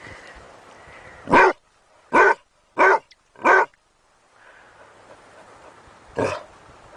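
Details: Domestic dog giving four quick, sharp barks in a burst, then a pause with low background hiss before one final bark.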